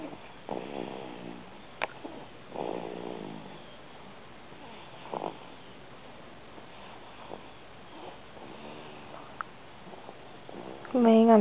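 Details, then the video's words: Marcelo the cat snores while asleep, lying on top of its owner, on January 14th: soft, rasping breaths with a faint tonal edge, arriving every two to three seconds in a quiet room, and a human voice briefly cuts in at the end. "Marcelo Snoring"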